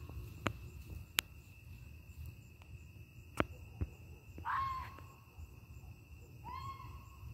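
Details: Fox, red or grey, passing through a suburban neighbourhood at night on its way to the den, gives two short, harsh, rising yelps about two seconds apart over a steady high insect drone and scattered faint clicks.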